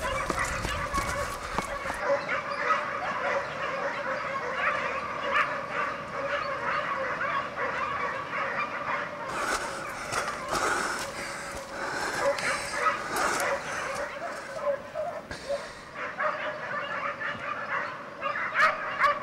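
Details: Hare hunt with a Segugio Italiano pack, champions of Europe in 2004; steady massed baying of many hounds rolls on, interrupted midway by loud crackling and rustling near the recorder.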